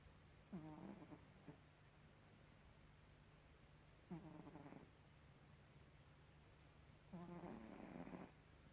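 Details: Gribouille the cat snoring: three rasping, rattling snores about three seconds apart, each a rough buzzy breath lasting under a second to a second, with quiet pauses and a steady low hum in the background.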